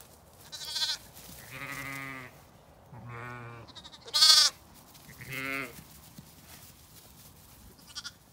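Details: Lambs playing outdoors on a sunny day at a regenerative farm in County Kilkenny, Ireland, give five clear, harmonic bleats spaced about a second apart, some deep and steady, one high and strained, with quiet gaps between.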